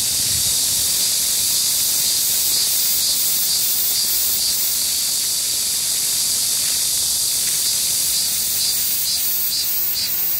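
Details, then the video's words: Midsummer cicada chorus in a Seoul park in Gangseo-gu, July 14, 2022, 31°C and humid: continuous shrill buzzing with faint rhythmic pulsing, steady throughout, alongside a cool fountain. "The sound of cicadas on a midsummer day"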